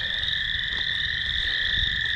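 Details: Many frogs calling together, heard during an off-leash dog walk alongside crickets, forming a steady, unbroken high trilling chorus with two sustained pitch bands and a faint low rumble of movement beneath.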